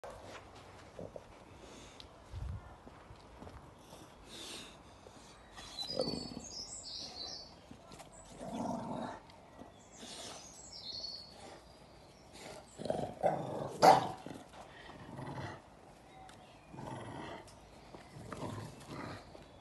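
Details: An English Bulldog gives low, rumbling growls in short bursts while guarding its stick from a Beagle.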